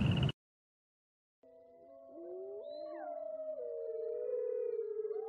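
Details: Wolves howling in a chorus after a brief burst of noise and a moment of silence. The drawn-out, overlapping howls slide between pitches and build slowly in volume.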